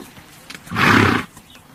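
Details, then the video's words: Horse giving a single harsh, breathy blast lasting about half a second, broad and noisy from low to high pitch, with quiet outdoor background before and after. "THE SOUND OF A HORSE"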